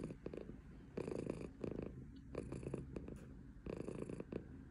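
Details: A female silver tabby Maine Coon purrs in a steady, low rumbling rhythm broken by brief pauses.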